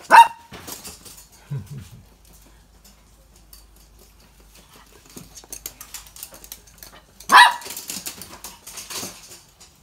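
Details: Excited Toy Poodle, worked up after a long break, barking during an indoor obstacle run built from toilet paper rolls: two sharp, loud barks, one at the start and another about seven seconds later, with soft scuffling and movement between them.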